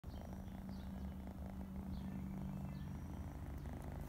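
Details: Domestic cat purring: a steady low rumbling hum holding throughout, with faint brief high chirps scattered above it.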